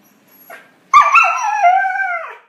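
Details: A puppy among a group interacting gives a faint short whimper, then a sudden loud drawn-out howl, held nearly level for over a second before dropping and fading away.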